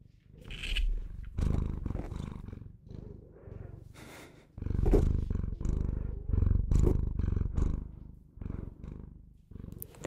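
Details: A pet Bengal cat purrs loudly and continuously, its coarse low rumble rising into stronger surges every second or two with the breath, punctuated by soft rustling and clicking noises.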